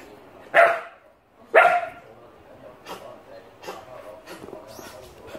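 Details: An Alaskan Malamute puppy, playing with a shoehorn, gives two sharp, yipping barks about a second apart, then quieter sounds.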